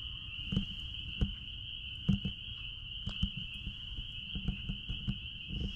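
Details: Spring peepers at a blueberry farm keep up a dense, even, high ringing chorus, while nearby clicks, taps and footsteps break in roughly every half second to second.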